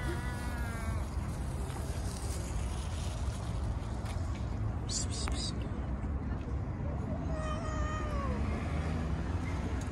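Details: Street-living stray cat, petted and fed among other cats and kittens, gives a short meow at the start and a falling, whiny meow near the end, partly buried under heavy low traffic-like rumble, with a brief burst of noise midway.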